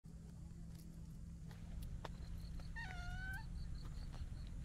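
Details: Talkative tuxedo-patterned stray cat rubbing affectionately against a person outdoors gives a single clear, tonal meow that rises and then falls. A steady low rumble of traffic or wind runs throughout, with faint clicks and rustles.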